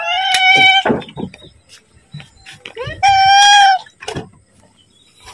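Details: Domestic cat begging for food before being fed, giving two clear, drawn-out meows about three seconds apart, with human speech and rustling heard between the calls.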